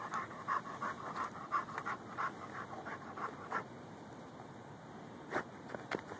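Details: Gopher-hunting Rhodesian Ridgeback and Bull Mastiff cross called Lou, recorded with a Samsung Galaxy S3; fast regular panting around three breaths a second, fading midway, then a few scattered scratchy digging sounds.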